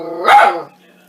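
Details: Agitated dog reacting to a soup maker, one sharp, harmonic-rich bark that rises then falls, with a quiet mechanical hum afterwards and a person speaking nearby.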